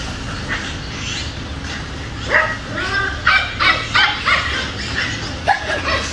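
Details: Angry Dobermann giving a run of sharp, rapid barks that start after a quieter opening and repeat roughly every third of a second, with a steady low background hum.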